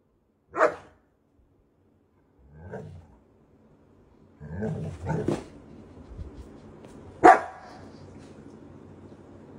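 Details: German Shepherd puppy giving short, sharp barks spaced a couple of seconds apart, four separate yaps across the stretch, with a faint low hum behind the later ones.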